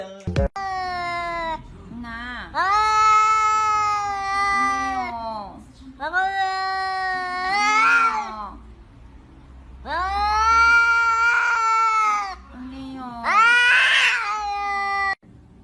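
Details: Cat giving four long, drawn-out meows, each rising then falling and lasting about two seconds, with a few softer short cries in between.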